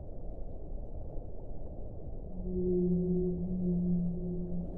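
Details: Whale song: a low, steady tonal moan with a fainter higher overtone enters after two seconds and holds for about two seconds over a rumbling underwater hiss.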